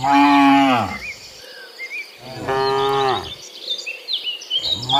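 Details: Cattle returning to the pen from the field in the morning, giving three rich, falling moos in quick succession, with bird chirps in the gaps.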